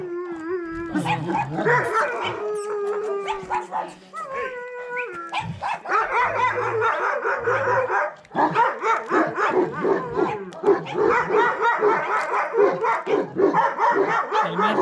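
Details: Bucovina Shepherd Dog at Paltinu: a drawn-out, steady howl in the first seconds, a second higher howl around four to five seconds, then a rough stretch of rapid, dense barking that carries on to the end.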